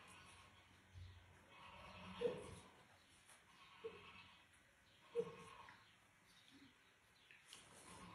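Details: Young wild boar, born sick and blind, orphaned after losing its mother and siblings, now hand-raised in human care; three short, tonal, bleat-like squeals spaced a second or two apart over a soft, noisy background.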